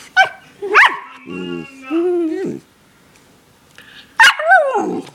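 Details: Barks from Daisy, a pet dog who often howls and barks: sharp yelps, a brief growly rumble, then a drawn-out whining howl, ending with more yelping bursts.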